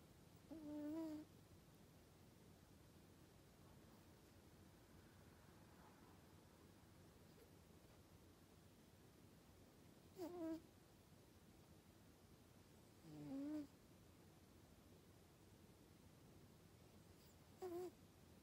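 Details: A Norwegian Forest Cat snores while asleep: four brief nasal, whistling snore sounds, each under a second, spaced by long quiet gaps, with faint low hiss throughout.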